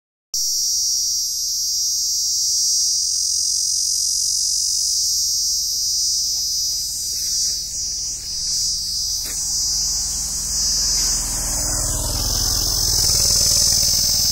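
A steady, high-pitched insect drone, an unbroken shrill hiss that holds level throughout.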